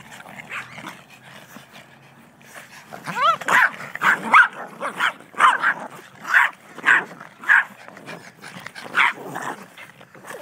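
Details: Six Yorkshire Terriers from one family (parents, three daughters, a son), filmed 21 January 2011 on a very old camera. After a quiet start with a brief whine, shrill yapping barks break out in a rapid series, several overlapping.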